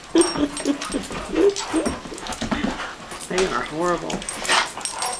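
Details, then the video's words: Two adopted Doberman Pinschers, two-year-old Sheela and nine-year-old Brodie, play fighting indoors in a house room; short throaty growls and whiny yelps in quick bursts, overlapped by people talking and laughing. "Doberman Pinscher - Thursday Night Smackdown"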